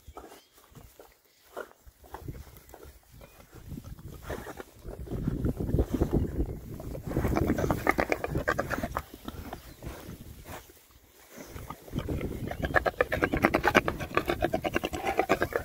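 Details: Rare breed Oxford Sandy and Black pigs, six boars foraging in winter between storms; low grunting and chomping, thick and continuous through the middle, with a quiet pause near eleven seconds before grunts return.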